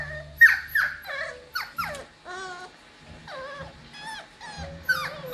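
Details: Cockapoo puppies, seven weeks old, from a litter of seven bred from a show cocker spaniel mother and miniature poodle father; a string of short, high, wavering whimpers and yelps, some sliding downward, with brief pauses between.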